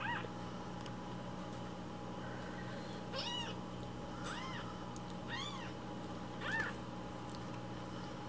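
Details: Hungry rescued baby kittens at home cry for morning milk while it is being prepared. Four or five clear, arching meows are spaced about a second apart over a steady low indoor hum.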